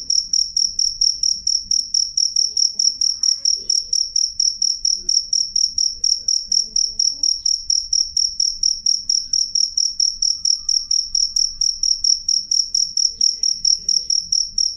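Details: A loud, clear-voiced cricket chirping without pause: a bright, piercing high tone broken into rapid even pulses, several per second, across the whole stretch, with only a faint low background rumble.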